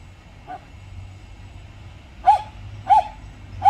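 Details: Jindo dog at a glove factory, around the dogs Dongdong, Miso and Jangbi making up after a dog fight; three short, sharp mid-pitched barks spaced under a second apart late in the clip, a faint one earlier, over low rumbling background.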